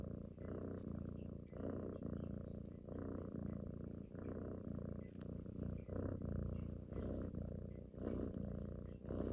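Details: Cuddling pet cat, female, purring loudly as she suckles at her owner's neck like drinking from her mother; low, snore-like rumble in regular breath-paced surges, roughly one per second, close to the microphone.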